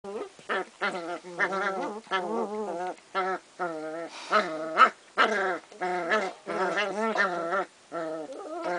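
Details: Kooikerhondje puppies from one litter playing, one brother having a rough-and-tumble 'discussion' with another: a rapid run of rising and falling harmonic growls and whines in short bursts, nearly continuous over the whole stretch.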